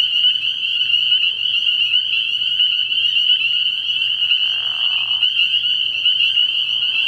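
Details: Spring peepers in full chorus at a frog pond at night early in the year, countless high peeps fusing into a bright, steady trill. A lower rasping burst sounds briefly in the second half.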